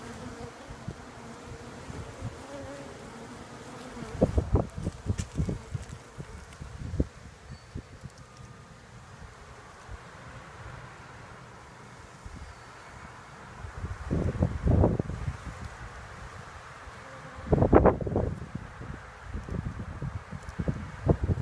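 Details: Bees buzzing as a low, steady hum with faint tonal bands, interrupted by several loud knocking or handling bursts around the middle and near the end.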